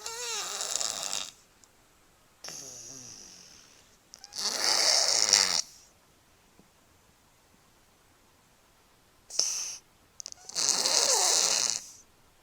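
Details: A cat snores in its sleep with loud airy, hissing breaths lasting one to two seconds, some with a fluttering rattle, separated by quiet pauses.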